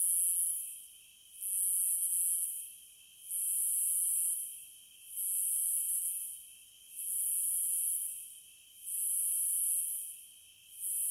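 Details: Shrill cicada chorus pulsing in long buzzing bursts of roughly a second each with short dips between, about seven in eleven seconds, above a constant faint droning tone.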